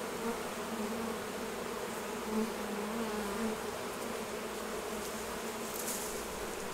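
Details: Honey bees at their hives during a honey harvest, as honey is taken off the hives: a steady low droning hum with faint brief rises, continuous throughout, over a soft hiss.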